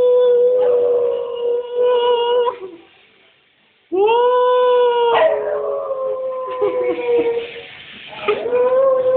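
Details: Small Cocker Spaniel howling or "singing" at home while missing her absent owner: long, steady, tonal howls, two drawn-out notes broken by a short silence, then wavering sustained wails with slight pitch slides.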